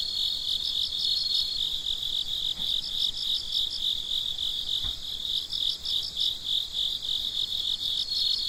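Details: Crickets calling at night: high, pulsing chirps repeated in short bursts above a constant shrill trill, with a faint brief thump partway through.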